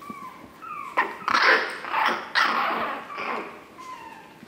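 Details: Chihuahua puppies on 9 April 2016: a falling whine opens, then loud rough yelps and yips crowd together in the middle before another thin descending whimper trails off.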